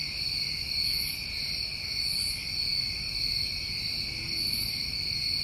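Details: Steady, shrill ringing of many crickets in New England summertime, layered high bands that never pause, with short airy buzzes higher still every second or so and a soft low background hum.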